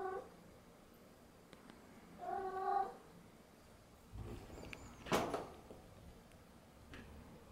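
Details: Domestic cat checking the cause of drafts indoors; one short, soft meow about two seconds in, then a few knocks and rustling thumps in a quiet room.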